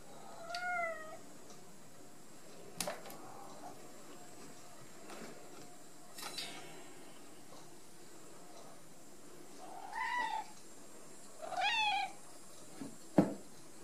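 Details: Ragdoll kittens raised indoors without cages at a home cattery in central Kansas, giving several short, thin, high meows, some rising then falling, spaced a few seconds apart, with faint taps and rustles in a quiet room.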